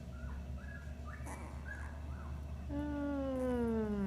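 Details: A puppy relaxing during a gentle handling session with continuous, intentional touch gives soft, short groaning whines, then a longer falling moan.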